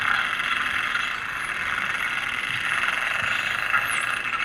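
Spinner dolphins give high, sweeping whistles over a dense hiss of echolocation clicks underwater.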